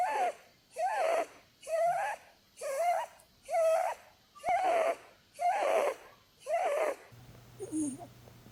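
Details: Blueberry, a snoring female Holland Lop rabbit asleep during a cuddle; eight evenly spaced whistly snores about one per second, then the snoring drops away to a faint breath and a low steady hum.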